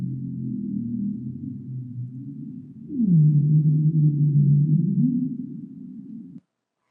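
A bowhead whale moans low and harmonic, then sweeps down into a long, steady drone.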